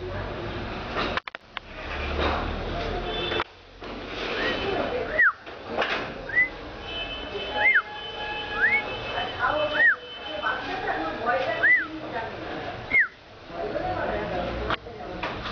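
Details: Baby cat meowing: short, high, arched mews, each rising then falling, repeated about every one to two seconds from midway on, over a steady background hum and faint rustling.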